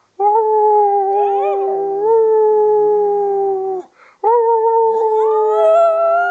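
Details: A three-year-old female Miniature Schnauzer howls along with her owner indoors: long sustained tonal howls with wavering pitch, a short break near four seconds, then another steady howl; a human voice joins partway through.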